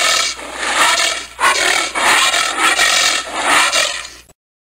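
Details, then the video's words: Giant anteater making harsh, broadband rasping huffs in a run of pulses, each lasting about half a second to a second with brief dips between, loud and close, with no other sounds heard. "Odgłosy Mrówkojada. Dźwięki mrówkojada. Odgłosy jakie wydaje Mrówkojad Wielki."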